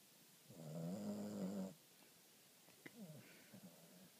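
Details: Female Boston Terrier fast asleep, snoring once with a rough, droning rasp lasting about a second, followed by quieter soft breaths in a small room.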